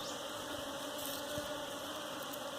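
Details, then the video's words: A colony of honey bees disturbed while their hive is collected to be domesticated. The buzzing stays continuous and even, a dense whirring drone with a single sharp tap partway through. "Bee Hive catching for Domesticating"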